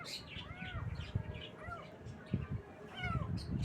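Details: Cute baby kittens in the morning give three separate bending, tonal meows about a second apart, each rising then dropping, over steady low background rumble and soft knocks.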